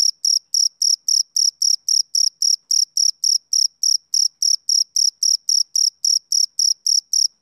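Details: Summer-evening chirping of a male cricket, shrill and high, each short trill-like pulse coming at a regular beat of roughly 3.7 per second, unbroken and without background noise.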